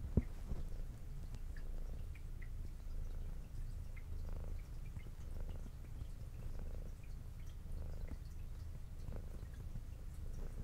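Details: Brown tabby female cat with white underside, adopted at two years old, purring while eating indoors; steady low rumbling purr throughout, with soft clicks and faint wet eating sounds scattered above it.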